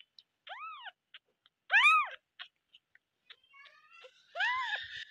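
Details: Loud kitten meows: three strong, arched, high cries separated by small clicks and taps. The last meow carries a rough, scratchy edge over its tone.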